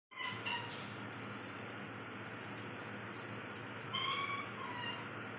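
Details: Cat Bintu Chintu making noises while trying to catch paper: two short, bright chirping calls at the start and another pair near the end, over a constant loud hiss of background noise.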